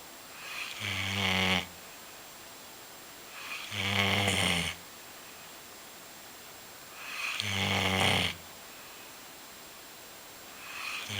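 A Golden Retriever snores in slow, steady breaths, each rasping snore arriving about every three and a half seconds.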